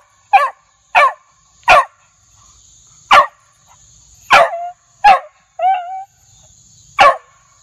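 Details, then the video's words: Loud, aggressive Beagle barking, eight short sharp barks spaced irregularly about a second apart, one ending in a brief whining tail, over a constant faint high-pitched hum. "Beagle Barking Sound Effect"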